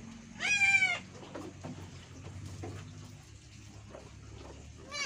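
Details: Etawah goat on a smallholder goat farm in Bukittinggi, West Sumatra, Indonesia, during birthing; one high, strained harmonic bleat about half a second long, a soft short cry at the end, low background murmur.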